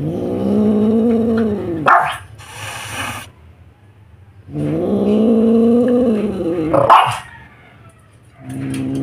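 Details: Very angry Siamese cat directing growls and hissing at a dog: long, low, moaning harmonic growls, each ending in a harsh, breathy hiss burst, in two rounds across the clip.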